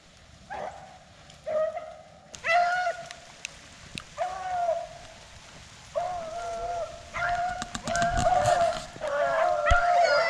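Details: Rabbit hunting dogs on the first day of the 2021 rabbit season bay on the trail of a jumped rabbit, coming past through woods after rain eased dry tracking, with drawn-out, ringing cries in uneven bursts from more than one dog.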